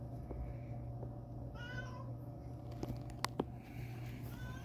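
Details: Old, dirty but still friendly domestic cat outdoors at a relative's house, seeming thirsty and given water to drink; a few soft, thin meows, the clearest near the middle, over a steady low electrical hum with occasional clicks and taps.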